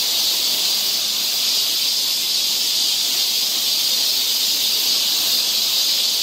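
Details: A continuous sizzling high drone from cicadas in a Korean summer forest near Seoul, even and unbroken throughout, with no other sounds standing out.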